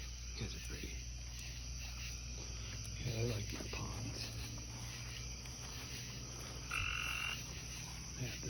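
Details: Light-green tree frogs on a porch beside a small pond, possibly a male and a female, give short croaking notes and a brief high trill over a steady low hum.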